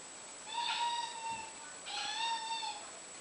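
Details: Indoors, a British Shorthair cat hunting flies gives two drawn-out, strange meows on seeing them, each nearly a second long, clear and harmonic, the second slightly rising then falling, over steady room hiss.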